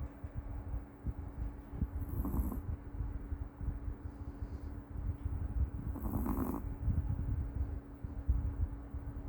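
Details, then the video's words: Meoteol, a rescued Maltese dog, asleep and snoring: low, rumbling, snorting breaths, with two stronger snores about four seconds apart over steady low breathing noise. "유기견 말티즈 코골이 머털이"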